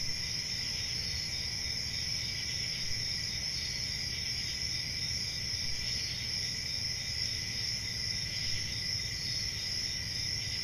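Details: Steady summer-night chorus of crickets in a forest at night: shrill, unbroken high trills stacked in two bands, level and unchanging, with faint low-frequency background noise.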